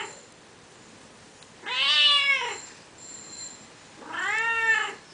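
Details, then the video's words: Female cat that often visits a backyard, meowing persistently: two long, drawn-out harmonic meows, each rising then falling, about two seconds apart, in a quiet setting. "kitty at my backyard..(never gets tired of meowing)"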